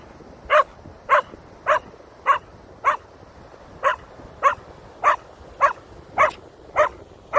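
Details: Keeshond dog Koda, confronting a feather he fears, barks steadily: thirteen sharp, regular barks at about two per second, over a faint background.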